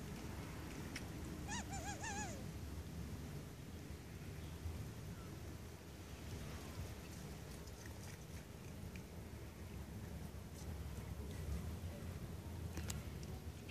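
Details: Zlatan, a pet cat waiting at home and happy as its owner returns, gives one short, wavering, high meow, then falls quiet under a steady low rumble with a few faint clicks.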